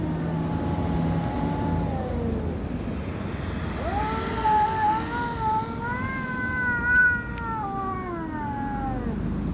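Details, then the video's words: Domestic cat making creepy noises: long drawn-out yowls that waver and bend in pitch, a steady tone first, then rising and falling wails with rich overtones from about four seconds on, over a constant low hum. "cat is making creepy noises"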